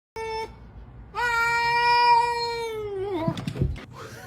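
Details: A cat gives a short tonal mew, then a long, steady, drawn-out meow of about two seconds that bends downward at the end, followed by clattering noises and a person's voice.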